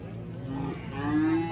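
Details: Enraged cow on the loose near a shop. One short, low, droning moo, rising slightly in strength toward the end, over a rumbling background.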